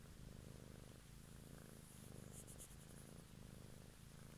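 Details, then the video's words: Domestic cat purring closely into the microphone one evening for a relaxing recording: a steady low rumble that swells and eases with each breath, roughly once a second, with faint high crackles. "ASMR Cat song"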